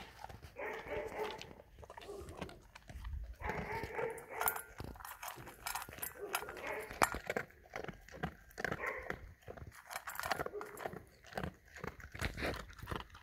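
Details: German Shepherd dog eating food: dense, irregular crunching and smacking chews with wet clicks throughout, over a murmur of voices in the background.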